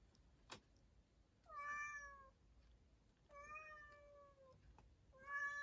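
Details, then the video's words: Three long meows from a house cat inside a storage room, each starting slightly higher and then sliding down to a level, steady tone, with short quiet gaps between them and a single sharp knock near the start. "창고로 들어간 냐옹이"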